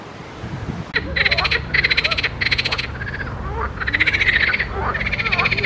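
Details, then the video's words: Several frogs calling in a pond: loud, rasping, pulsed croaks in half-second bursts, repeated rapidly and overlapping, with fainter chirping calls between them and low background rumble. "grenouilles chantes croasses leurs mélodies des grenouilles dans un etand d'eau"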